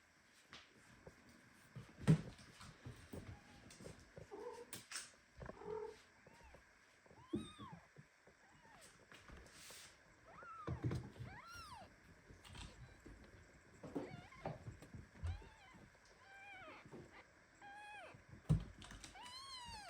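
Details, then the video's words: Indoor mother cat squeezing her premature kitten so hard that it protests; short, downward-bending mews repeat irregularly every second or two, with soft thumps, rustling and low handling noise between them. "Mother cat hugs premature kitten so tightly that he starts meowing."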